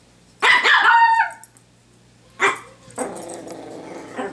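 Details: Pomeranian barking in play with a hair clip indoors: one long, harsh, ringing yap near the start, then a shorter bark, and a softer rough growling sound at the end over a low hum.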